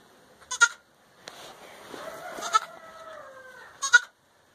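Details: Young Boer goat kids at play on a family farm; a soft, wavering bleat of roughly three seconds, slowly falling at the end, set among sharp clicks and knocks.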